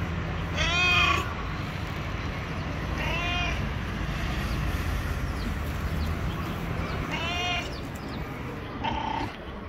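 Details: Yellow street stray cat calling as if trying to communicate: four spaced meows, short and harmonic, separated by a few seconds amid constant low-pitched urban hum.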